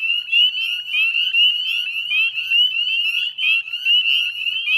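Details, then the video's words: Northern spring peeper chorus at dusk, 9:08 p.m. on 18 May 2020, Chezzetcook salt marsh wetlands, West Chezzetcook, Nova Scotia, Canada: dense overlapping high rising peeps from many frogs, a continuous shrill wall of sound with pulsing loudness. "Northern Spring Peeper Chorus"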